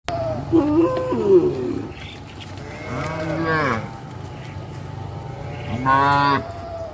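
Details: Tame village cattle walking to green pasture in the morning moo several times: a wavering, harmonic low call near the start, then two more drawn-out moos spaced a few seconds apart over a steady low rumble.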